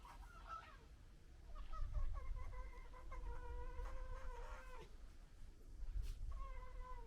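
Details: Fox. Several long, nasal whines from a fox, each clearly harmonic and wavering slightly in pitch, with a shorter burst of yelps between them. A steady low rumble of wind or handling noise runs underneath.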